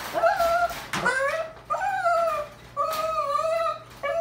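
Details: Puppy trying to escape, whining indoors in a small room: high, tonal whimpers with a clear ring, sliding slightly up and down, in a series of drawn-out cries with short pauses between, plus a faint low hum.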